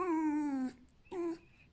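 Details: Pet fox named Alf, happy and wagging his tail, squeaking because he wants to be hugged and petted: a long, steady, nasal tonal squeak falling slightly in pitch, then a brief second squeak after a pause.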